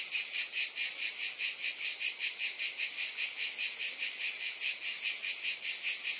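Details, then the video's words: Loud cicada buzzing, a shrill unbroken drone throbbing in quick regular pulses, nothing else audible. "Scintillating Cicadas"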